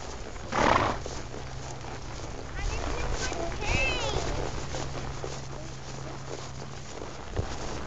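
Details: Tennessee Walking Horse whinnying while kids ride in a field at Love Valley, North Carolina, August 2008; one wavering, quavering whinny near the middle, with children's and adult voices, hoof sounds and low rumbling background.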